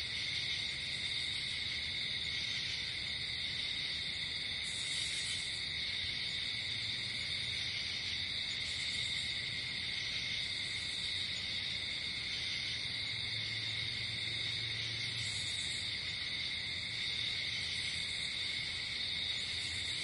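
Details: At night outdoors, crickets keep up a constant piercing chorus, high pulses flaring at intervals above it, while a faint low hum rises briefly about two-thirds through.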